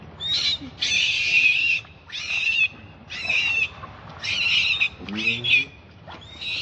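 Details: Hungry baby monkey crying beside its mother, begging for milk: shrill, strained high screams in bursts of about half a second to a second, separated by short gaps, with some faint low rustling.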